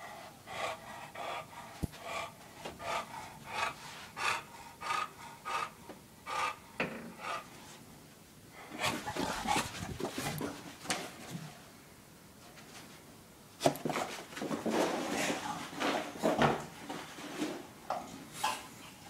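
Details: Porkchop, an English Bulldog, runs and scampers indoors in a condo searching for pizza; quick raspy panting and snuffling breaths in irregular clusters, with louder bursts of snorting toward the end and faint rubbing noises.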